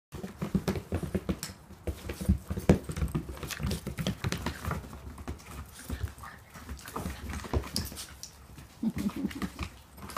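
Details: Chihuahua, short coat, male, 11 months old, at a dog rescue awaiting adoption, recorded 2/13/2014; rapid rhythmic panting and sniffing with pattering footsteps and handling noise, no barking.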